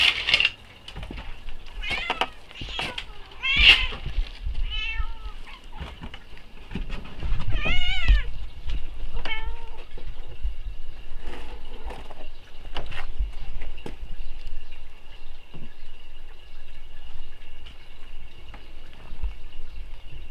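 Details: Reunion of a cat family after two weeks apart; a rapid run of short, high meows early on, then several longer wavering meows, with quieter mews later, a thin steady whine, and low background rumble.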